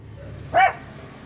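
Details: Pet dog indoors giving a single short sharp bark, reacting to people or dogs shouting and fighting outside; the bark is clipped with a quiet background before and after.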